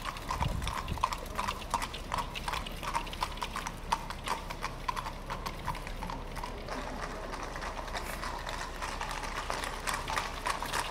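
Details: Thoroughbred horses ridden by riders in samurai armor at the Soma Nomaoi event. A steady run of sharp hoof clip-clops, several per second, sounds over a constant background rumble.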